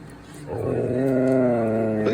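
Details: A Siberian Husky gives a sustained, wavering howl that swells and holds steady, demanding attention and insisting its owner get up, howling louder and closer when ignored.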